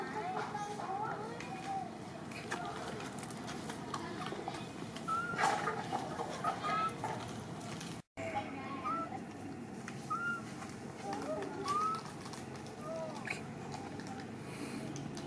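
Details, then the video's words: Baby monkey Momo, a spoiled young female, crying in a tantrum: short, high, arched squeals rising then falling, given in scattered bursts, with people talking over them and a brief dropout midway. "Poor baby monkey MoMo crying seizure tantrum around"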